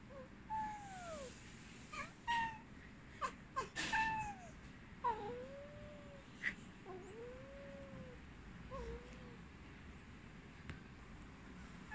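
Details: A Maine Coon cat (Felis catus) gives short, arched, soft chirps and trills in quick bursts.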